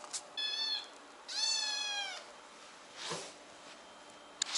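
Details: Kitten crying for no clear reason: two high, clear meows with rich harmonics, the second longer and slightly falling, followed by a soft rustle and a click in a quiet room.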